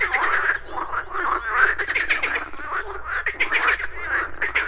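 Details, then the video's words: Pond frogs croak in the morning with insects buzzing: overlapping nasal, rasping croaks from several animals, uneven in rhythm and closely packed. "Frogs Croaking"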